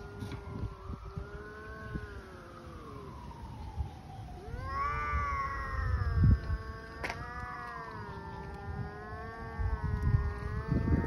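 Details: Hungry stray cats fighting in the street trade long, wavering, rising-and-falling yowls that overlap and run almost without pause. A sharp click cuts in midway, and a low rumble hangs beneath.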